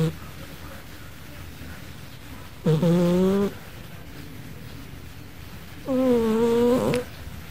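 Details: Gigi, a pet cat sleeping indoors and snoring like a person: two deep, droning harmonic snores about three seconds apart, each lasting under a second, with a quiet room between breaths.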